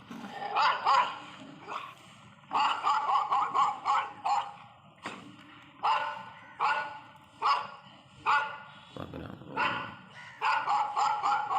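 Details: Labrador Retriever giving repeated short, rough barks in clusters, several a second, with pauses between bouts; music plays throughout and a person speaks briefly.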